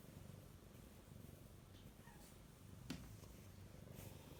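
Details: Domestic cat turning affectionate in the dog's absence, purring in a soft continuous low rumble with regular rhythmic pulsing; a faint rustle and a single short tap partway through.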